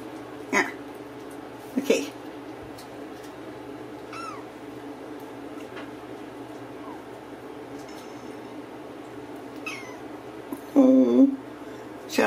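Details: Ragdoll kittens raised in a home cattery in central Kansas without cages; a few short faint meows spaced through the recording, then a louder drawn-out meow near the end, with a person speaking softly.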